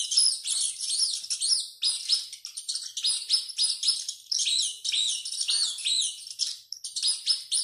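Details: Running rat shrieking continuously, many piercing high squeaks overlapping in rapid bursts, some notes rising then dropping, the intensity swelling and fading every second or so with a short lull near the end.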